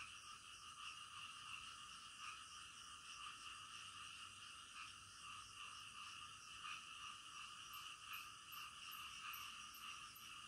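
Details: Nocturnal frog chorus with many callers overlapping in a constant hum of croaks; near the end a quick series of high chirping notes repeats rapidly above the chorus.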